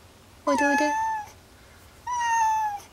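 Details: An unwell pet cat named Kuri, refusing food and unresponsive to catnip while hiding under a desk, gives two drawn-out, steady, slightly falling meows, the first opening with a rougher, buzzy onset.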